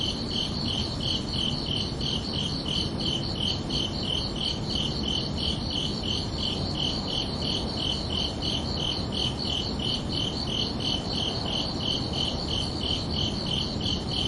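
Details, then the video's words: Summer-night crickets give a continuous train of short, high, ringing chirps, close to three each second, unchanging in loudness, with steady low-pitched background noise underneath. "Calming Cricket Sounds for Relaxation"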